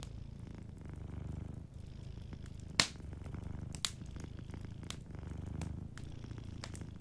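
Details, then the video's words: Low, steady purring of a cat sleeping by a fireplace, pulsing in slow breath-length waves, with several sharp crackles and snaps from the burning wood. "Warm Fireplace Ambience with a Sleeping Cat 🐱💤Fireplace & Soft Purring"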